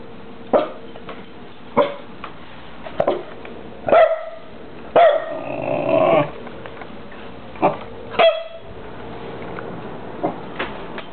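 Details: Winston, a pet dog wearing a cone, barks in short sharp bursts, roughly one a second at first, with a longer drawn-out bark in the middle and quieter yips near the end, indoors.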